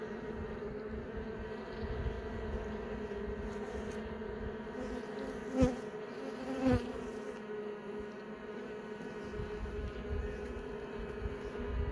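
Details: Honey bees in a hive, several young bees emerging from their brood cells as the hive is opened and inspected; a steady droning hum with layered harmonic bands, broken by two brief sharp knocks midway.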